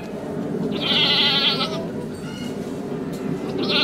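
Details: Goat bleating at a farm where a goat has just given birth; one long wavering bleat near the start and another beginning at the end, over steady background noise.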